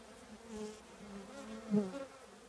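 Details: Buzzing of a honey bee colony nesting in an old trash can: a continuous low droning hum that rises to a brief louder pass near the end.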